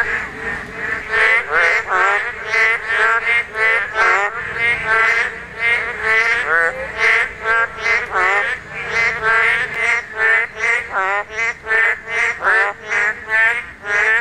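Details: Spawning Korean narrow-mouthed toads in full voice, a season-only chorus. Loud, buzzy-nasal croaks tumble over one another several times a second, with no quiet gaps for the whole stretch.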